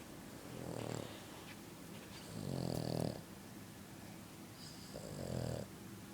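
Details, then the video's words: Sleeping French Bulldog snoring very loudly: three rough, low, rattling snores about a second long, spaced roughly two seconds apart, with quiet pauses between breaths. "my dog snoring extremly loud!"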